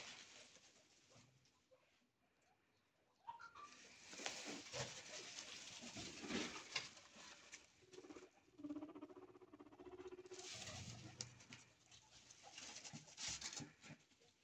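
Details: Guinea pigs kept for breeding or food make brief squeaks, including a quick rising whistle, and low rumbling chutters over busy rustling and scratching as they shuffle about, broken by quieter pauses.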